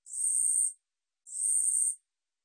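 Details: Woori katydid (우리여치), National Institute of Biological Resources 2020 sound collection, giving two harsh rasping buzzes of about 0.7 seconds each, separated by a short silent gap, very high-pitched with no other sounds.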